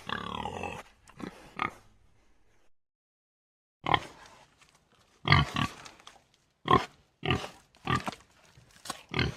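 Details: Common warthog from Africa: a strained, wavering squeal opens, followed by a couple of short grunts, a pause of about two seconds, then a choppy series of harsh grunting bursts roughly every half second.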